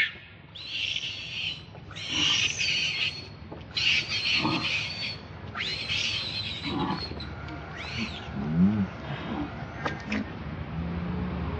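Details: Baby monkey's repeated pleading cries for milk: a run of high, shrill wails roughly every two seconds, some rising and falling in pitch, over a steady low background hum.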